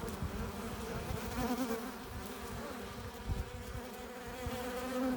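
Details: A crowd of honey bees hums at the entrance of their hive while foragers bring in pollen and nectar; a thick, even buzz with several bees whirring nearer in short wavering tones.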